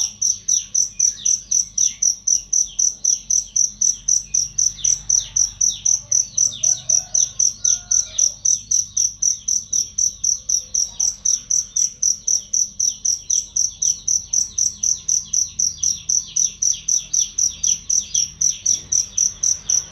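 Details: Cricket chirping as a training recording for songbirds, loud and clear: a steady run of sharp, high-pitched pulses, about four each second, very regular across the whole stretch, with fainter sweeping chirps underneath.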